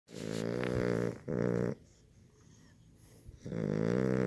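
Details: Tired sleeping puppy snoring loudly indoors: two long rasping snores, a quiet pause, then another long snore. The snores are deep, buzzy and rumbling.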